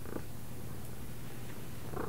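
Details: Soft steady purring from a house cat trained on left and right cues, a low throbbing hum, with a short spoken word at the start and again at the end.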